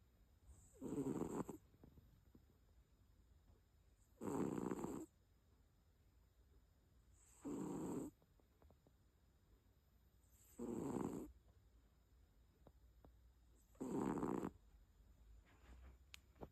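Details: Sleeping cat snoring steadily, five rough, breathy snores repeating about every three seconds with quiet pauses between them.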